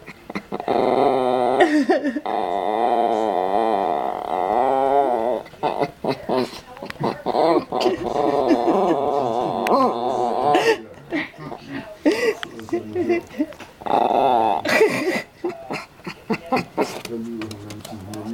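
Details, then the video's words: Old, eccentric Yorkshire Terrier growling at something unseen: sustained, warbling, voice-like growls in long runs, then choppier broken grumbles, with brief human speech in Danish. "Quirky Yorkie Molly (funny sounds)"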